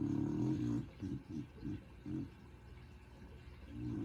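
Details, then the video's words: An overweight female dog named Willow, asleep and deeply relaxed, gives a low rumbling snore, then a run of short, choppy breathy pulses before another long, throaty snore begins. "Willow Snoring"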